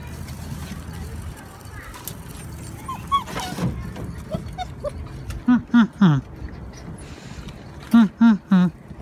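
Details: Thai Ridgeback puppies whimpering: a quiet stretch of soft voice and murmurs, then two bursts of three short, harmonic whines with falling ends, each group about half a second apart, over light background hiss.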